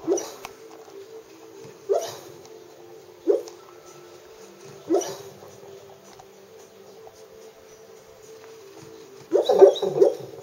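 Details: Sleeping Labrador named Wendy, chasing birds in a dream, lets out brief soft yelps roughly every one to two seconds, then a closing flurry of muffled woofs, with a constant faint hum underneath.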